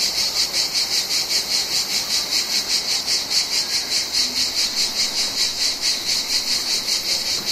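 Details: Summer cicadas from the Mediterranean singing a rasping high-pitched buzz, pulsing steadily about two or three beats each second, near twenty throbs in all, with a faint lower hiss beneath.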